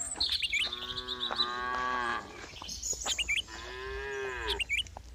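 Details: Two sustained cow moos, each about a second and a half, rich and nasal, separated by a pause filled with busy bird twittering.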